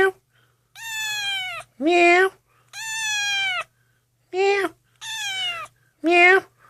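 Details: Malnourished, shaking, dehydrated kitten with infected eyes, found lost and abandoned in the middle of a street, indoors as another cat comes close for the first time; six loud meows in seven seconds, long falling cries alternating with short rising squeaks.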